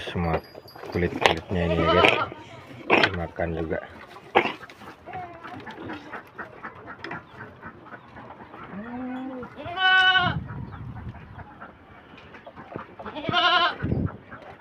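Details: Hungry domestic goats kept by a beginner farmer, fed cut branches until only twigs remain; a man talks over rustling first, then two loud, wavering, nasal bleats ring out about four seconds apart.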